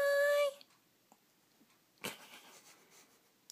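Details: Mikie, a Yorkshire Terrier, waking up in the morning indoors gives one loud, steady, high whine lasting half a second. Quiet clicks and rustles follow, with a soft burst of movement noise near the end.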